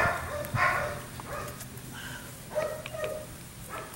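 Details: Phoebe, a six-week-old female Dutch Shepherd puppy, during her first real bite work test, gives short high yelps and whiny yips in a loose series, some rising then falling, with gaps of quiet handling noise between.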